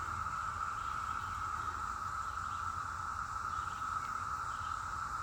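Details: Loud chorus of many cicadas in the mountain woods of western North Carolina, some seen flying past; a steady, unbroken droning whine holds at one pitch throughout, over a faint low rumble.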